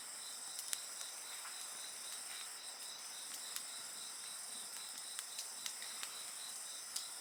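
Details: Insect voices ring steadily and high beside an open fire, a dense trilling hum with a regular fast pulse, while frequent sharp pops and crackles of burning wood punctuate the chorus.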